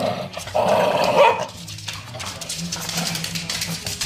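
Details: Shih Tzu Kaisia, one of two pet Shih Tzus with Maggie, wants to play with a toy crocodile: a short, raspy, mid-pitched growling vocal burst lasting about a second, followed by quieter low rumbling and indoor rustling.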